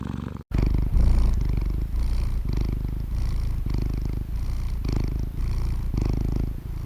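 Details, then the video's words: Domestic cat's purr presented for stress relief and relaxation: steady, deep buzzing rumble after a short gap at the start, pulsing in even inhale-exhale cycles near one per second. "Ronronnement des Chats anti-stress pour se relaxer | Cat Purring Sound"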